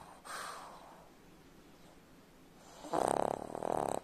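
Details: A pug's snore: soft breathing at first, then a loud, harsh, buzzing snore followed by a second strong snorting pulse close behind it in a quiet indoor room.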